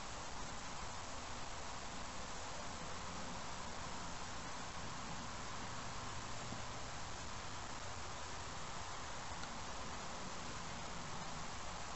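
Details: Steady broadband hiss like wind or distant traffic, with no animal calls standing out.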